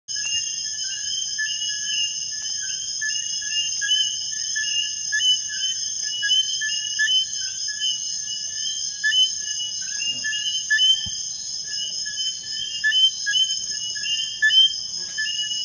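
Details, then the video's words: Eileen's robber frog (Eleutherodactylus eileenae) calling from a leaf in Topes de Collantes, Cuba, 3 September 2016, in short, repeated whistled notes over a steady high insect drone. "A cuban frog calling on a leaf"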